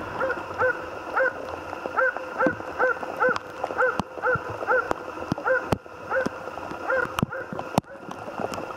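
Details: Jämthund named Otis on a moose hunt, giving a steady run of short, sharp barks roughly every half second to second, even in pitch and rhythm, with occasional loud clicks and faint rustling in the background.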